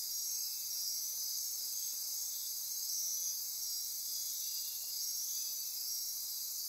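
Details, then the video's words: Midnight rainforest insects on Costa Rica's Osa Peninsula near Corcovado National Park fill the night with an unbroken high-pitched trilling drone, steady pure tones threaded through it, the intensity swelling gently and easing back. "Costa Rica Rainforest - Midnight Insect Chorus"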